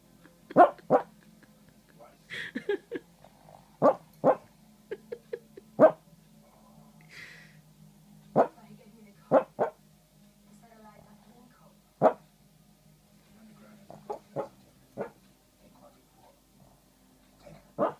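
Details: Little male dog barking in his sleep on Feb 9, 2014: frequent soft, clipped yips and huffs, many in doubles, irregularly spaced, with a few higher squeaky notes and a steady low background hum.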